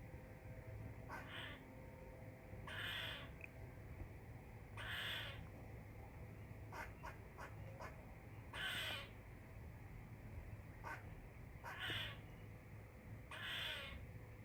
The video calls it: LOUD SQUIRREL CHIRPING SOUNDS